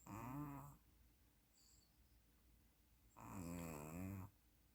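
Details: A puppy snores in its sleep. Two rough, buzzing breaths sit about three seconds apart with near silence between them.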